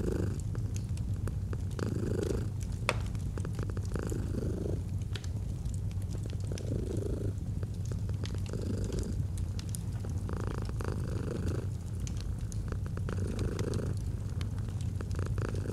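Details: Domestic cat purring steadily next to a fireplace in cozy autumn ambience; the low buzzing rumble pulses with each breath, roughly every two seconds, while frequent snaps and pops of burning wood sound over it.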